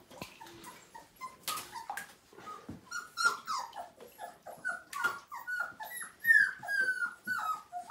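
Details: Siberian Husky puppy at five weeks, first bath: soft, thin whines and short squeaks come in an irregular patter, growing into longer, higher, downward-gliding whimpers toward the close, with some splashing and handling noise.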